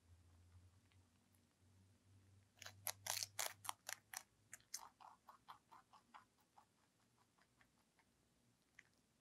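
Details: Lionhead-Dutch cross rabbit named ZZ munching celery in a small room. A cluster of sharp crunching bites gives way to steady, softer chews about three or four per second, dwindling to occasional clicks.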